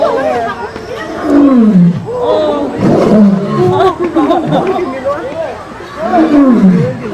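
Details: A lion in front of an audience gives deep, groaning grunts that slide downward, repeated every few seconds over people chattering and laughing, then falls asleep.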